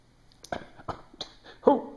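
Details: Pet dog barking in play after being coaxed by his owner with a pencil: four or five sharp, loud barks over two seconds, the last the strongest, with faint human sounds in the background.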